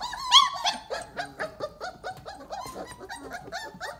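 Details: Litter of 28-day-old Weimaraner puppies piled up after breakfast, letting out a quick run of high, bending whines and short yips. Several voices overlap in an uneven stream, with one sharper squeal near the start.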